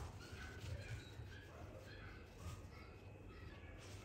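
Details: Young male Lhasa Apso pup with scattered small barks and thin whimpers, and a low mechanical hum and nearby human speech underneath.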